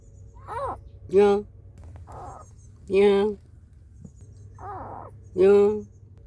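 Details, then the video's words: Mother cat giving angry warnings to an unwelcome intruder to protect her kittens, while kittens cry plaintively for her: three loud, harsh, drawn-out wails alternate with three thinner, higher, wavering cries, roughly every second, over a steady low hum. "고양이 울음소리 여러가지 어미고양이가 새끼 보호를 위해 불청객에게 화난소리와 새끼고양이가 엄마 찾는 애절한 울음 소리"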